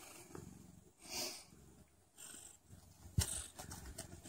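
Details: Mother cat purring shortly before labour begins: a low, steady rumbling purr of rapid pulses running through the whole stretch, with a soft breathy swell near the start and a sharp click or rustle toward the end.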